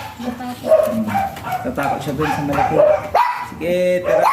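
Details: Jinbie, a small type Pomeranian, gives a run of short, high yapping barks, several in quick succession, mixed with people talking nearby.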